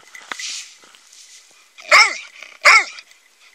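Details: Two loud, separate dog barks about three-quarters of a second apart, each short and harsh, with a faint click and low background murmur before them.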